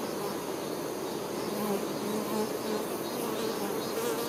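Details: Honey bees, workers caring for their queen, humming in a constant buzzy mass, with brief higher whining tones rising out of the drone now and then.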